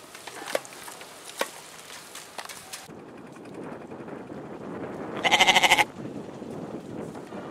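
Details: A single quavering goat bleat, its pulsed, tremulous cry lasting about half a second, heard after a stretch of faint clicks and low background hiss.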